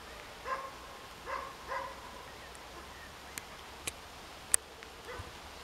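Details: Roe deer barking as a doe and her fawn move away to safety: several short, hoarse barks at uneven intervals, with a few sharp clicks between.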